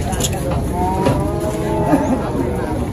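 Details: Angry bull charging its owner: a long, drawn-out moo with a steady low harmonic tone lasting about two seconds, over loud background noise, an engine rumble and people talking.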